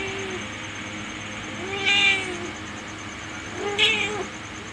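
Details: Pet cat uttering two clear, high, nasal meows about two seconds apart, each a brief rising-then-falling cry over a steady low background hum.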